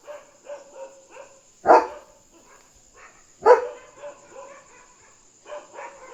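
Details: German Shepherd guarding at night, barking to alert that another dog is outside: two loud sharp barks about two seconds apart, with softer fainter barks or yips between them and a steady high electrical whine.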